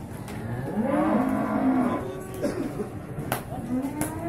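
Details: Bulls in the male beef cattle section of the Singkil market in Boyolali, Indonesia, 6 July 2019; a long, low, steady moo lasting about a second, then shorter rising and falling lows, over busy crowd noise and occasional knocks.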